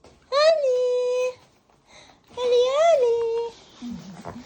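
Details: Holly, an Aspin (Philippine native dog), 'talking' indoors in a small room: two drawn-out, whining howl-like notes, each rising then leveling into a steady tone about a second long, separated by a short pause, then faint low grumbling.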